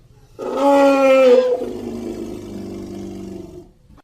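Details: Baby elephant gives a loud, tonal wail for about a second, then it sinks into a lower, rough, groaning tail lasting another two seconds.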